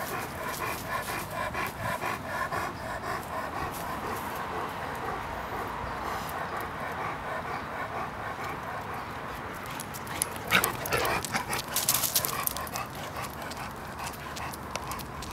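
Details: Sixteen-week-old Irish wolfhound puppy Roman, 59 pounds, makes steady, repeated tonal whimpers for most of the recording, with a burst of sharp clattering noise near the end.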